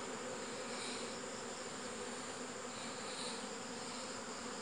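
Many honey bees hum together in a continuous, even drone with a low buzzing core and a hissy upper edge. The sound holds steady throughout, with no breaks or changes in rhythm.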